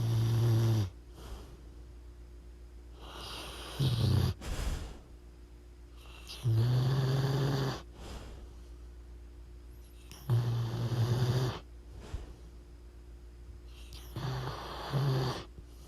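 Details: Sleeping pit bull snoring loudly indoors: deep, rumbling low snores repeated about every three seconds, each with a breathy hiss on the intake between them, in a quiet room.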